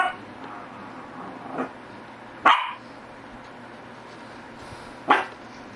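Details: Shih Tzu barking indoors: three short, sharp barks spaced irregularly, a softer one near 1.6 seconds and louder ones around 2.5 and 5.1 seconds, over a steady low background hum.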